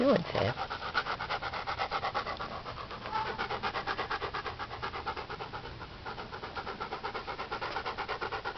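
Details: Siberian Husky and wolf hybrid watching a dung beetle at work, panting in a fast steady rhythm of about three breaths a second throughout, with a brief voice asking what the beetle is doing at the start.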